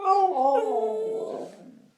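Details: Siberian Husky Nixie sweet-talking for treats indoors: a two-second drawn-out, howl-like moan with rich harmonics, starting higher and sliding gradually downward before fading out.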